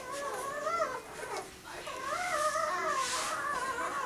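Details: Six-day-old pups of Willy and Olimpiya give high, wavering whines that rise and fall in overlapping harmonic bands, a near-continuous squealing chorus with a brief dip in the middle, indoors.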